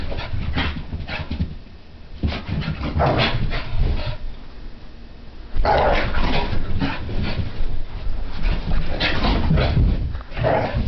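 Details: French Brittany spaniel puppy named Sophie during a frantic random activity period in a living room, expelling pent-up energy; rough growls and short barks come in irregular bursts with scuffling thumps, a quieter gap midway.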